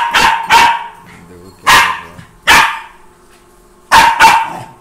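A Pomeranian gives sharp, high-pitched barks, usually in quick pairs, with short pauses between.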